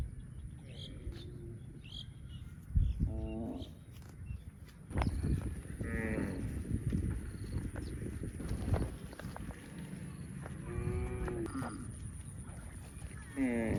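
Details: Baby cow mooing repeatedly, several drawn-out harmonic calls spaced a few seconds apart, some rising and falling, with a low rumbling background and occasional knocks.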